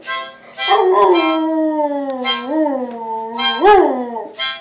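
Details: Pet dog howling to a harmonica: long, gliding howls that dip and rise in pitch, about four drawn-out phrases, accompanied throughout by bright, buzzy harmonica chords in short bursts.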